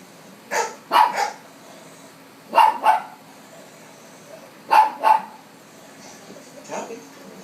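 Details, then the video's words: Household dog barking at TV dogs, three pairs of sharp barks a couple of seconds apart, followed by a softer distant-sounding bark, with faint background sound possibly from the television. "barking at dogs on TV"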